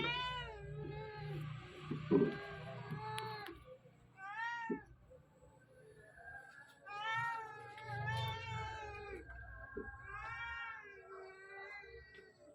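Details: Two kittens around two months old run about playing hide and seek under their watchful mother, who keeps meowing to warn them. Long, wavering meows recur every few seconds over low background hum and light rustling.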